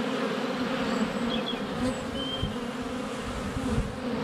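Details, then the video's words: Honey bees buzzing in flight around their hive entrance during sunny February weather, captured up close with a GoPro Hero 7 Black: constant layered drone, brief thuds of landings, a few thin bird whistles. "4K Honey Bees - ambient video and audio"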